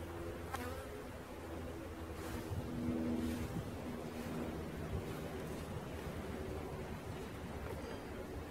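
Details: Swarming bees being caught: a continuous humming drone with a faint steady whine layered over a rough low murmur, swelling slightly near the middle before settling back.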